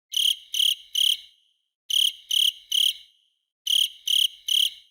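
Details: Cricket chirping: three short, bright, shrill pulses in each burst, with bursts about every 1.8 seconds and silent gaps between them. No other sounds.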